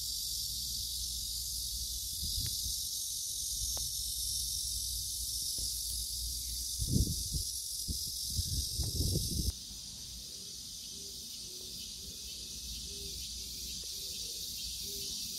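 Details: Cicada calling: a shrill continuous hiss that quiets partway through, with rustling and handling thumps in the middle and a faint repeated low tone afterward.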